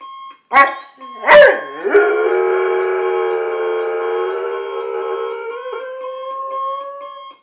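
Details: Male German Shorthaired Pointer, about two years old, waking in the morning and howling at an alarm clock until it stops: two sharp rising yelps, then one long sustained howl that wavers gently, over a steady electronic alarm tone.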